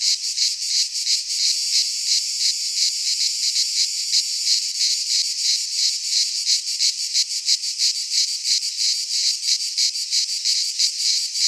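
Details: Many cicadas in a Greek pine forest at midsummer, their harsh high drone chopped into fast, even pulses that carry on without pause over the whole stretch.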